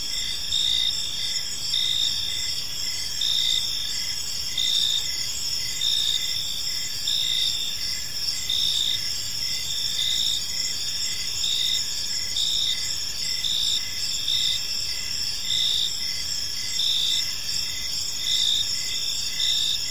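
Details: Chirping crickets fill a peaceful park in the evening, their high shrill chorus beating in short pulses close to once per second, with a quiet rumbling backdrop and no other callers.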